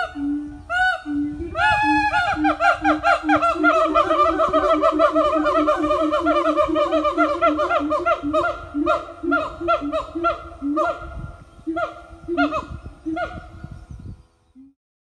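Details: Morning chorus from a siamang family at an eco-tourism farm, a dense run of loud rhythmic barks and hoots with rich harmonics, several voices overlapping, rapid pulses that slow and thin out before stopping.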